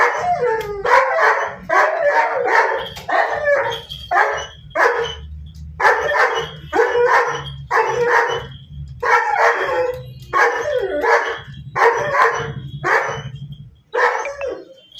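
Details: A German Shepherd barks angrily, loud and repeated, with deep harsh barks coming about twice a second.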